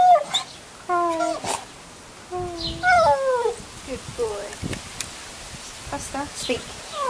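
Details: Staffordshire Bull Terrier cross trained to cry on cue: series of high tonal whines and whimpers, some falling, some wavering, repeated over several seconds, with a person's voice praising and prompting him indoors.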